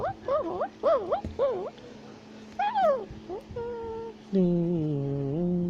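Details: Tufted capuchin climbing a tree in South America. Rapid wavering squeals repeat about twice per second, followed by a rising shriek. Steady, even tones and a low hum carry the second half.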